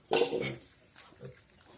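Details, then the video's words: Captured wild pig, described as gentle, with small wild pigs mentioned nearby; a harsh, loud broadband squeal lasting about half a second, then a brief quieter grunt-like sound a second later over low background noise. "wild pig nakatili ,pero ang bait Nito"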